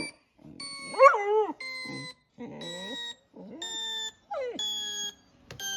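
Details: Young Border Collie, six months old, reacting to a sound that dogs respond to. Short, quavering whines and yelps bend up and down in pitch, broken by pauses, over flat, steady electronic tones.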